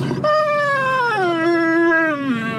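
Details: Dog 'talking' with a loud, sustained howl: a clear, steady tone that slowly steps down in pitch and holds, then falls further at the end.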